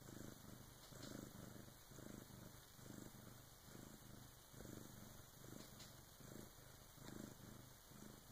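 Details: Deep rhythmic purr from Karma, a Bengal cat giving birth to her first kitten around 3 a.m. with her big sister's help; even low pulses roughly every second, no other sounds.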